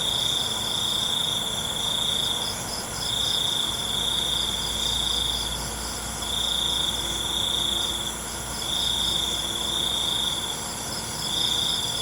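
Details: Nocturnal cricket chorus: five bright trill bursts at a fixed pitch, each lasting one to two seconds with short breaks, over an unbroken high-pitched insect background.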